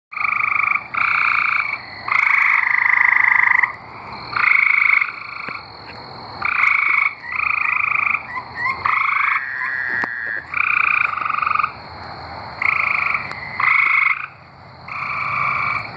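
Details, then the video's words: Tree frogs singing in Arkansas: a chorus of buzzy, trilled bursts about a second long, several callers overlapping and alternating with short pauses, a faint steady high hum running underneath. "Singing tree frogs"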